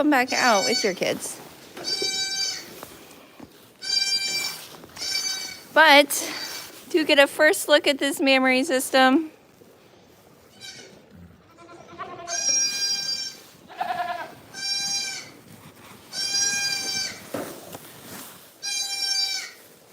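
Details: Farm goats bleat in a series of high, even, nasal calls about every second in the latter half. Human speech fills the first nine seconds.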